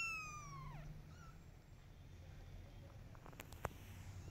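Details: Mother cat calling her kittens to follow her while they ignore her: one loud, drawn-out meow sliding downward in pitch, then a short, quieter second mew, followed by faint taps and clicks near the end.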